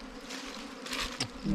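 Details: Brief, steady droning of wild bees as a honey hunter works a ground or cavity nest, with scraping rustles over the low hum.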